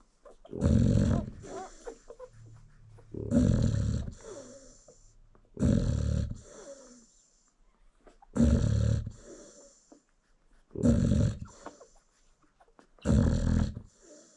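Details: Sleeping American Bully mom nursing a litter of newborn puppies: six heavy, rasping snores spaced roughly two and a half seconds apart, each a broad noisy rumble, with faint soft shuffling between them.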